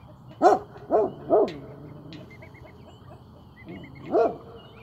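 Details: On watch after playing, a Great Pyrenees barks three times in quick succession, pauses, then adds a fainter bark and one last loud woof, with light birdsong and a low background drone.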